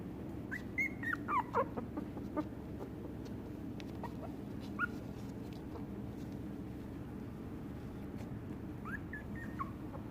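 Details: Shiba Inu puppies give short, high whimpers and yips in quick bursts. The calls bend up and down, cluster near the start, recur once midway, then return at the end over a constant low room hum.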